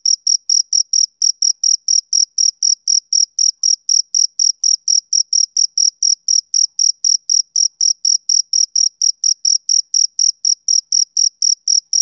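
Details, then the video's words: A male cricket chirps on a summer evening in a fast, even rhythm of about four piercing pulses per second; nothing else is heard. "Cricket Chirping Sound Effect"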